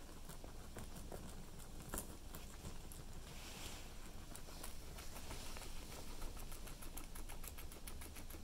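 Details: Cilantro being chewed by a guinea pig: steady, fast crackling bites, each a short bright click, running the whole time above a faint low hum.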